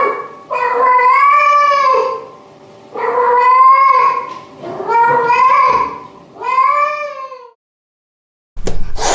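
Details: Domestic cat giving four long, loud, arching meows, each rising then falling, spaced roughly every two seconds, ending with a brief knock-like noise.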